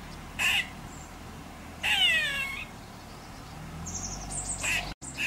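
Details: Female grey squirrel high on a radio transmission tower near her drey, protesting at a domestic cat. Two brief sharp chucks frame a longer nasal whine that slides downward in layered tones, with faint background hiss.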